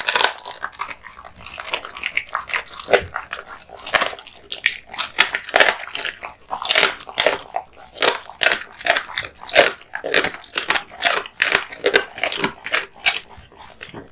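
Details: Raw meat and bones being eaten by a male American Bully, a pit bull type dog; steady rapid crunching and cracking bites, several per second, continue without pause in a small indoor room.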